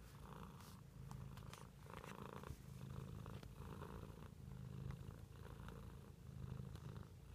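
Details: Cat purring close up, a low rumbling vibration in rhythmic breath cycles of roughly a second, with breathy midrange bursts and a few soft knocks.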